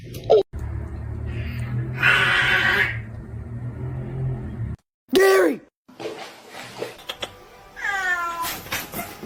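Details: Domestic cat from a cat fight compilation, giving a few short arched meows, one mid-clip and a drawn-out wavering one near the end, with background music, a burst of noise and faint voices.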